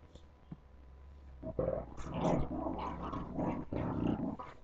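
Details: Puppies playing indoors, a rough low growl building after a quiet start and continuing in broken bursts through the second half, with scuffling noise under it.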